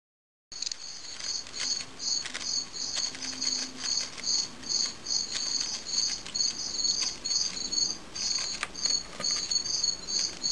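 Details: Fall field cricket (Gryllus pennsylvanicus) during a fight: rapid pulsed chirps, high and harsh, repeated in quick bursts roughly twice a second, with scattered clicks and patter of movement throughout.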